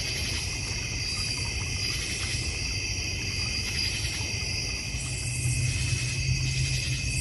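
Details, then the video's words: Continuous high insect trilling from crickets in a North Georgia Mountains backyard with a goldfish and koi pond and bird feeder, over a noticeable low background rumble. "North Georgia Mountain Cricket Sounds"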